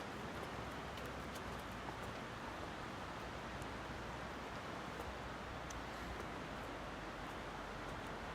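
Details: Broad rustling outdoor noise, like wind or leaves moving, runs steadily throughout with a few faint clicks and no clear animal voice.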